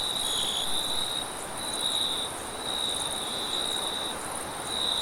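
A cricket trills steadily on a high, even pitch over a soft rush of wind.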